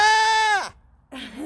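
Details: Goat with a newborn kid bleating a steady, clear, nasal note for over half a second that slides sharply downward, then after a pause a softer wavering call, with human voices nearby.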